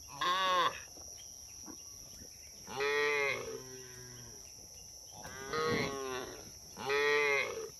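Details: A roaming herd of cattle on the road calls with four strong, harmonic-rich moos, each under a second long and spaced a few seconds apart, over a quiet steady hum.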